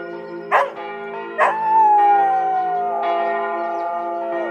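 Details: Border Collie named George in Tiergarten, Berlin, howling with the church bells for the first time. After two bell strikes, one sustained, slowly falling howl carries on for about three seconds beneath a constant humming bell resonance.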